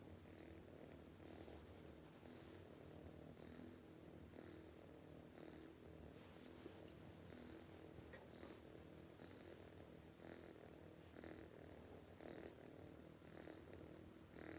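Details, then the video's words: A cat asleep and snoring too loudly, heard as a continuous low rumble with regular hissy breaths in and out about once per second for the whole stretch. "This cat snoring too loudly, can't let it sleep"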